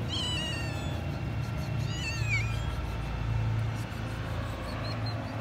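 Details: Stray cat that has come back to a roof, meowing for food: two clear, drawn-out meows that rise and then fall, one at the start and one around two seconds in, over a steady low hum.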